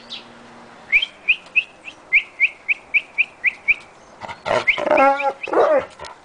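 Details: A happy, excited dog greets its owner in the morning at playtime: about ten short, high, rising squeaks come roughly three times a second, then louder wavering whines and yelps.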